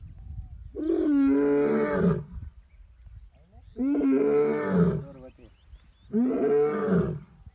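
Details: An Asiatic lion in Gir National Park gives three hoarse, harmonically rich moaning calls, each just over a second, swelling and fading about two to two and a half seconds apart over a low rumbling background.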